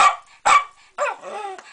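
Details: Pet Jack Russell Terrier vocalising: two sharp, loud barks about half a second apart, then a wavering, talking-style whine that slides downward and fades.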